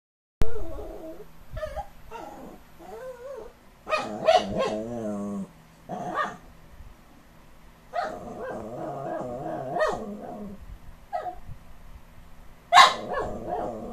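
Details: Dogs Benjie and Chucky 'talking': wavering, pitch-bending whines and grumbling moans in short bursts, with sharper yelp-like outbursts near the middle and end, separated by brief quiet gaps indoors.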